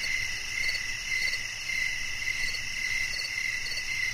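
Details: Crickets chirping as a soothing nature sound for sleep and relaxation: a steady, high, shimmering trill with faint rapid pulsing throughout and a soft low rumble underneath.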